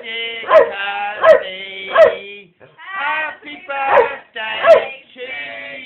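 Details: Rottweiler x Staffordshire bull terrier cross singing along as a family sings happy birthday at home: a long, wavering, high howl in drawn-out tones, broken by sharp yelps about every second and then faint gaps.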